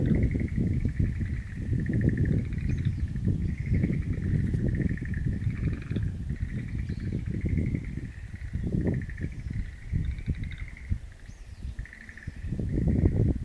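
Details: Frogs in a wild plant garden, recorded 11 April 2013. Rapid pulsed calls repeat several times a second in overlapping bursts at a steady pitch, easing briefly near the end. Strong low rumbling noise sits beneath.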